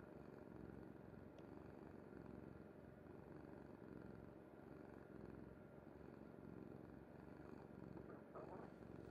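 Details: Sleeping on a mother's bed, the cat Kuri keeps up a close, deep purr, a steady throbbing rumble, with faint rustles and a light tap near the end.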